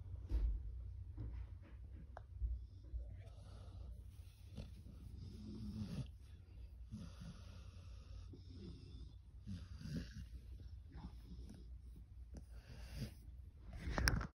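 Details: Pit bull resting on a chill afternoon, snoring in soft, breathy, rasping bursts that recur every second or two, with irregular spacing over a steady low rumble and a louder snort near the end.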